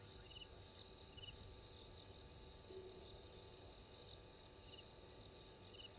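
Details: Pre-dawn insects at 03:44 on 12/04/21 beside Gowrie dam, Djuma Game Reserve, Sabi Sand Wildtuin, South Africa: a constant shrill buzzing band, with brief chirps and trills returning at regular intervals over a quiet low hiss.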